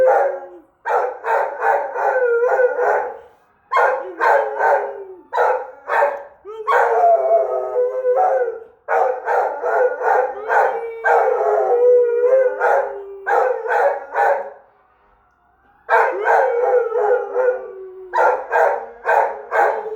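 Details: Australian Shepherd howling at the Easter Bunny riding past in a fire truck, a long run of choppy, quavering howls and yelps with short breaks between phrases.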